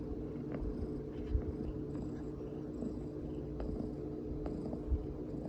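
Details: Domestic cat purring while being touched and stroked, as if enjoying a massage: a continuous low, pulsing rumble with a steady hum throughout and two brief soft thumps.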